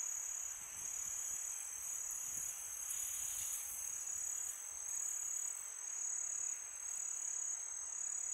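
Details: Crickets trill steadily on a peaceful summer night in a high, unbroken shimmer, with soft wind behind.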